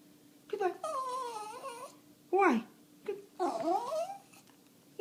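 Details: An indoor dog vocalising because it doesn't want its owner to go out: drawn-out wavering moans that bend up and down, broken by a brief sharp yelp, like talking, over a low constant hum.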